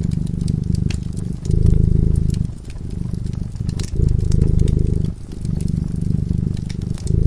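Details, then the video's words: Dozing by a cozy fireside, a cat gives a deep, continuous purr, its low rumble rising and falling in breath-like waves every second or so, while the burning fire snaps and crackles over it. "Purring cat"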